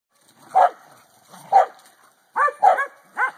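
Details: Corgi playing with a hula hoop, giving short sharp yappy barks, two spaced singles then a quick burst of three within about three seconds.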